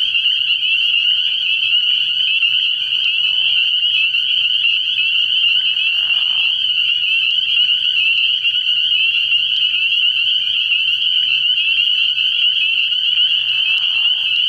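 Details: Night chorus of many spring peepers at a frog pond early in the year, their piercing high peeps overlapping into a constant shimmering wall of sound for the whole stretch, with brief softer murmurs underneath.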